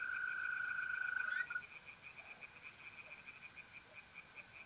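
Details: Mid-April night at a pond in North-East Italy, where tree frogs keep up a rapid, even pulsing chorus at a high pitch after a mole cricket's continuous buzzing trill stops abruptly at one and a half seconds.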